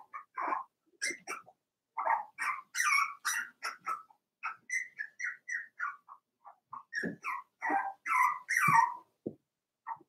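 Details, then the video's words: A litter of four-week-old Cavalier King Charles Spaniel puppies, Daisy's pups, in an indoor puppy pen. Steady stream of short high whines and yelps, about two per second, overlapping and varying in pitch, with occasional sharper squeals. "Daisy's Cavalier Puppies Livestream: 4 weeks old"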